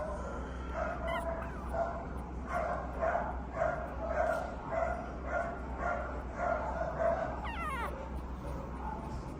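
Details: Brindle, white-chested female Boston Terrier and Pug cross puppy: short, nasal whining yips repeated roughly twice a second in a steady run, with a brief higher squeak near the end, over a constant low electrical hum.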